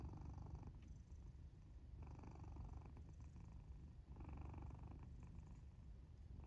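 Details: A black cat sleeping inside its fort purrs and snores, the low rattling purr pulsing fast and steady, broken by a brief pause and then a louder breathy snore phase.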